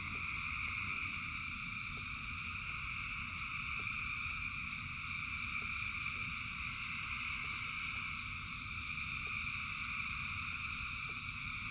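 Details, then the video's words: Thousands of frogs singing in rain, merging into a steady, unbroken high trill in several stacked bands, with a low rumble of rainfall underneath and scattered faint drip-like ticks throughout. "Frogs in Rain 2 Hours of Frogs, Thousands of Frogs Singing"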